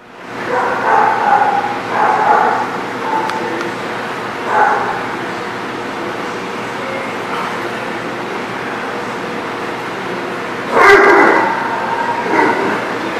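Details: Dogs barking at a lot, recorded on 8/3/19: distant, muffled barks in clusters over the first five seconds, then a steady background hum and a louder burst of barking near the end.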